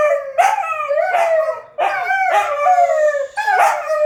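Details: Wolfdogs Lupo and Kano howling together at midnight: overlapping, wavering howls with rich harmonics, new voices starting roughly every second and sliding downward, loud and close.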